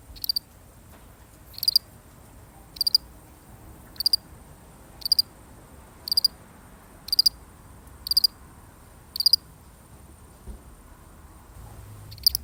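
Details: One solitary cricket chirping, a real recording: brief high pulsed chirps repeated steadily about once a second, ten or so in a row, against faint low background rumble.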